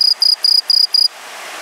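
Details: A green tree cricket, a non-native introduced species, gives five quick, pure, high-pitched chirps in a steady run, then falls silent.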